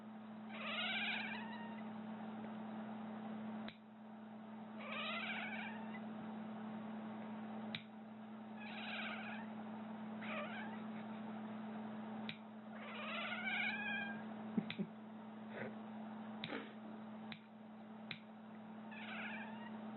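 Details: Cat cringing at the sound of nails being clipped indoors, repeatedly giving strange warbling, quavering cries every few seconds, mixed with sharp clipping clicks over a constant low hum.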